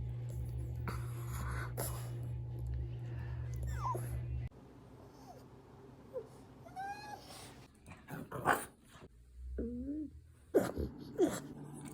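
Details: French Bulldog making noises indoors: a low steady hum at first, then short high whines and squeaky rising-and-falling yelps scattered over the last seconds, with brief snuffling sounds between them.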